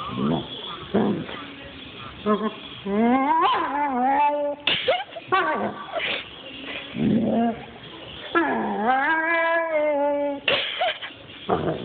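A German Shepherd gives long, wavering whines and yowls that swoop up and down in pitch.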